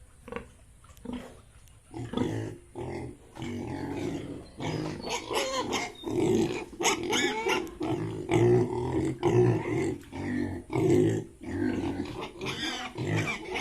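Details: Farmed Yorkshire and Hampshire pigs in Bongaigaon, Assam: after a few scattered grunts, a near-continuous run of rough, throaty grunts and moans, roughly once a second, overlapping and uneven in rhythm.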